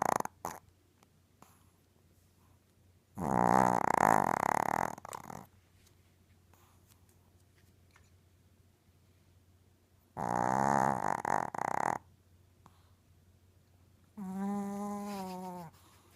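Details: A sleeping Yorkie, two years old and 6 lb, snores indoors at night. Two long, harsh, rattling snores are separated by a quiet gap, then a shorter, smoother, tonal snore follows near the end.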